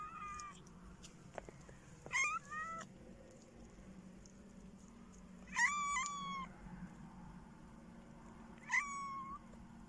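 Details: Domestic cats in winter, a cat giving several short meows that rise then slide down, spaced a few seconds apart over a low indoor hum, with faint clicks between calls.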